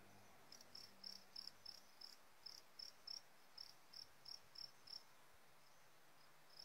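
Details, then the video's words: Fighting cricket from Sumbawa, tested on a different Warrior feed mix: a run of about fourteen short, high, dry chirps at a quick steady pace, then falling silent near the end, over a low background hum. "Jangkrik aduan Sumbawa"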